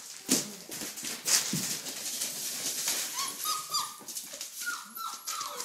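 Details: Red rust Doberman Pinscher puppies, four weeks old, playing and running around with wagging tails; after scuffling and clicking noises come high, thin whimpers that slide downward, several in a row over the last seconds.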